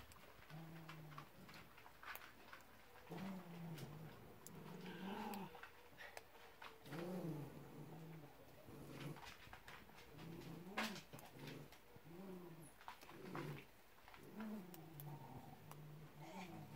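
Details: Pyrenean Mountain Dog puppies of litter D2 indoors, making low harmonic whimpers and grunting whines in short bursts, clustered and repeated throughout, with soft rustling and clicks in the background.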